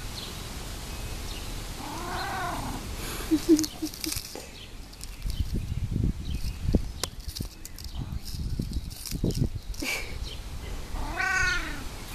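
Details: Mars, a cat rolling on a concrete patio outdoors, makes happy noises: two short, arched chirping mews, one early and one at the end, between scuffling and rubbing sounds against the ground.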